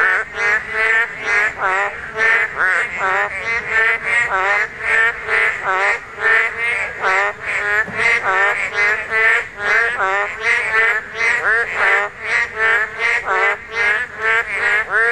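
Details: Korean narrow-mouthed toads calling at spawning time, the only season they are heard. Many overlapping nasal, harmonic croaks follow each other rapidly, about two or three a second, forming a dense, unbroken chorus.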